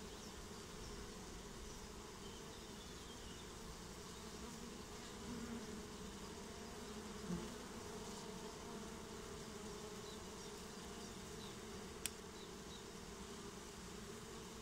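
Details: Swarming honeybees moving into a new home: an even, unbroken droning buzz with a mid-low tonal band, one sharp click near twelve seconds, no human speech.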